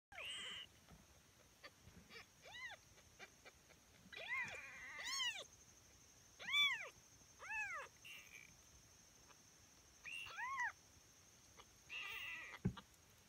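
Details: Five-day-old Tonkinese kittens during morning nursing: a series of about eight clear, arching mews, each rising then falling, spaced one to two seconds apart, with soft rustling and faint suckling noises between them.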